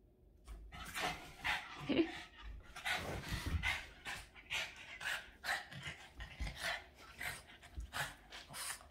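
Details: Boston Terrier named Yoda, playing excitedly with its owner indoors; short rough barks and growly grunts around the middle, surrounded by quick rhythmic panting bursts and scuffling throughout.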